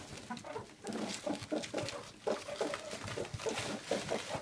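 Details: An adult male meerkat from a mob of 10 gives rapid, clucking chirps in quick bursts while aggressively guarding mealworms from the others, including his father.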